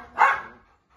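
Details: Labrador Retriever puppy offered for sale, one short sharp yip lasting a fraction of a second, followed by quiet.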